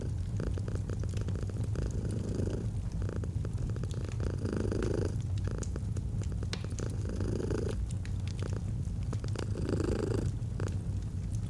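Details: Domestic cat purring continuously beside a fireplace in autumn, the deep rumble brightening on each breath roughly every two to three seconds across several cycles, with irregular wood crackles throughout.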